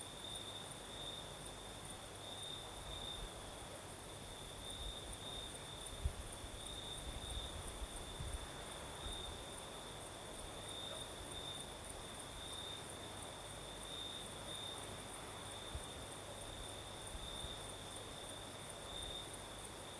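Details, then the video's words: Crickets chirring through a breezy night in the south of Crimea: a long, steady high trill marked by regular brighter bursts, a faint higher overtone, and a soft wind hiss with a few low thumps. "Сверчки поют"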